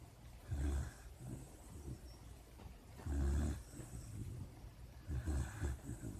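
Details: Asleep and dreaming, a puppy snores in deep rumbling pulses, three stronger swells roughly every two and a half seconds, with lighter breathy rasps in between.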